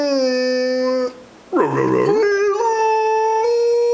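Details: Rhodesian Ridgeback dog talking to its owner: a steady, tonal, harmonic howl held for about a second, a short break, then a rough wavering outburst that settles into a long, even, sustained howl.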